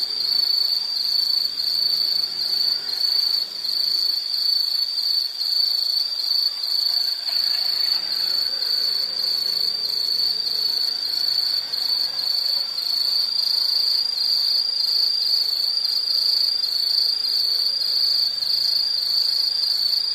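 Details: Nature sound of insects: an unbroken, piercing high trill with fast rhythmic pulsing for twenty seconds. Soft low murmurs and faint rustle lie beneath.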